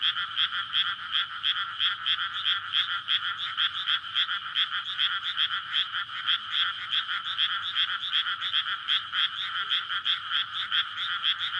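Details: Courting frogs in a flooded rice paddy on a May night beside a residential area make a packed, unbroken chorus of rapid rattling croaks, the massed calls pulsing roughly two to three times each second, captured with a SONY PCM-D100.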